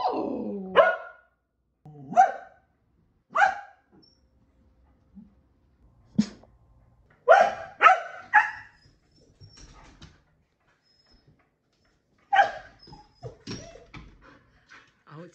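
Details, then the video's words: Pet Keeshond giving repeated sharp barks, single or in quick pairs and triplets, every one to two seconds with short silences between, in a quiet room "Keeshond Barking Compilation!"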